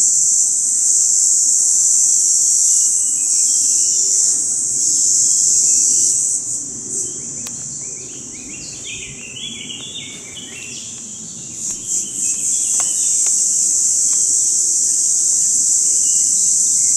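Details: Mountain cicada, filmed photo-hunting in 2014, keeps up a high, even buzzing calling song that briefly dips and flickers midway, while short chirping bird calls break in around the middle and toward the end.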